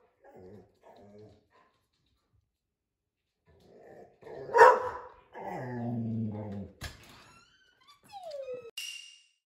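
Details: An Australian Shepherd, a 25 kg medium-sized dog, gives a few short barks and a sliding whine indoors during a noise-meter test of how loud its voice is, with some human speech.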